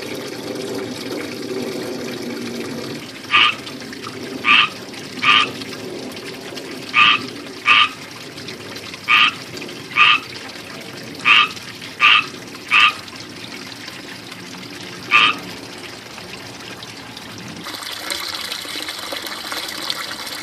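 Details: Frogs living in a small ivy-surrounded backyard fishpond with a water fountain, giving loud chirps: eleven short, bright calls spaced unevenly between about 3 and 15 seconds, over steady trickling fountain water.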